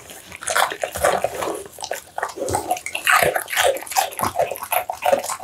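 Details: An American Bully dog munching pumpkin, duck mince and tofu at close range, producing moist lapping and squishy chewing noises in irregular clusters, louder toward the end.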